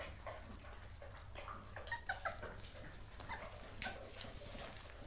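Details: Seven American Staffordshire Terrier puppies, Casper, Crudelia, Cobra, Cassiopea, Camilla, Castom and Conan, at weaning during their morning feed indoors; brief high whimpers and yips cluster near the middle, over steady clattering, feeding noises and a low hum.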